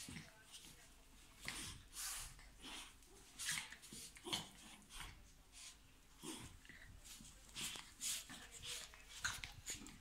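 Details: Chihuahuas playing together huff, snort and give brief whimpers in quick, breathy bursts.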